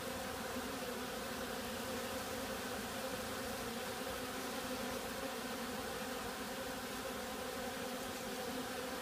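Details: Continuous droning buzz of many bees, perhaps robbing or otherwise agitated; layered humming tones stay level and unbroken for the whole stretch.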